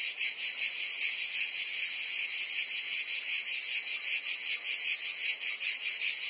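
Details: Provence cicadas in summer, France: many insects buzzing together in a bright, hissing wall of sound with an even rhythmic throb, nothing else audible.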